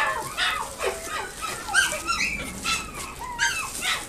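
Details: Chihuahua kept at a pet shop in Nagoya, Japan: scattered sharp yips and short whines, some rising and some falling, coming irregularly with brief gaps, over a faint busy indoor background.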